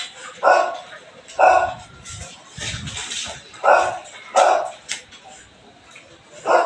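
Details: Morning barking from a Belgian Malinois: loud separate barks about every second, with quieter speech and rustling in the gaps.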